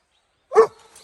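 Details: Dobermann, born January 2014, on a sunset walk along a snowy mountain road in Hokkaido, Japan, at 0°C on 2 December 2020, reacting after spotting a wild deer: one short, sharp bark with a faint tail, then quiet.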